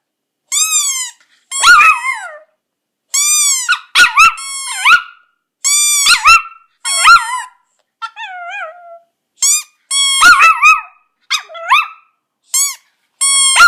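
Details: Pet Chihuahua Poco still howling along to a squeaky toy in August 2014. Sharp, high, arched squeaks come in rapid bursts, interleaved with quavering dog howls that bend downward, separated by brief pauses.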